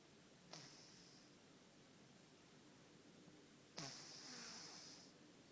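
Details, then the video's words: Sleeping ginger cat snoring softly indoors: two breathy, hissing snore breaths about three seconds apart, each lasting roughly a second, over a quiet background hum. "Котэ храпит"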